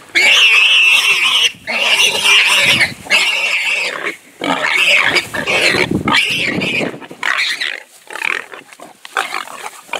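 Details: Wild pig under a leopard's attack, with a hyena intervening: loud, harsh, high-pitched squeals in long screaming bursts broken by short gaps, ragged and irregular throughout.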